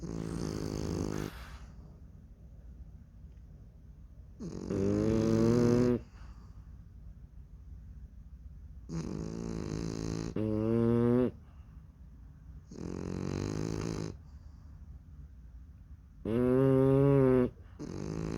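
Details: Snoring French Bulldog puppies fast asleep, their rough, buzzing inhalations repeating irregularly, six bursts in about eighteen seconds, some louder with a wavering upward bend in tone, alternating with quiet pauses of steady breathing.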